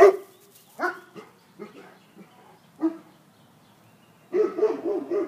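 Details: A bloodhound that gets scared gives short, mid-pitched yelps and woofs at uneven intervals with pauses, closing with a longer, louder run of overlapping barks.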